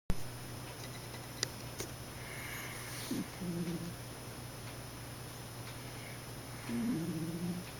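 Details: A sleeping cat snoring: two soft, low, rasping breaths a few seconds apart, each a short stuttering rattle, over a steady indoor hum in a quiet room.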